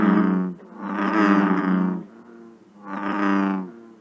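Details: An American bullfrog in Ohio gives two deep, droning, rumbling mating calls, each like a drawn-out bass 'rum'; Ohio's largest frog, calling into July.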